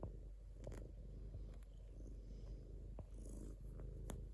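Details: Domestic cat giving a constant low purr, fine rapid pulsing at a steady level, with a few brief clicks and light fabric-like rustles.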